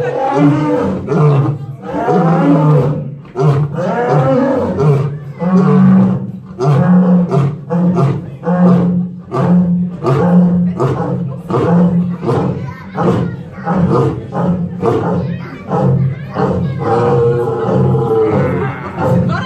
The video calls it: Lion Roaring - Barbary lion